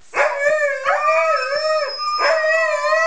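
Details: Siberian Huskies howling in chorus, a sustained, clear, wavering tone with slight pitch rises and falls, punctuated by short yelping onsets near the start and again after two seconds.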